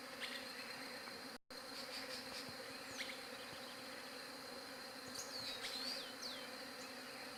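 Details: Continuous bee drone from a Galaxy J7 Prime 2 recording, an even multi-toned hum broken by a brief dropout near the start, with small birds chirping and whistling sweeping notes toward the end.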